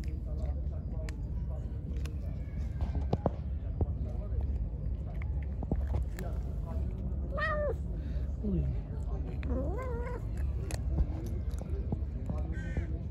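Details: Angry, hungry pregnant stray cat, fed and then attacking: a few short, wavering meows, one sliding downward, scattered through the middle, under a constant low hum with clicks and some talking.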